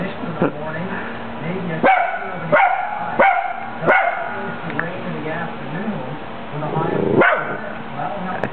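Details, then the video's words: Male Italian Greyhound indoors barking at himself, a cluster of four quick barks followed by a pause and one more bark, while a woman speaks to him throughout. "IG barking"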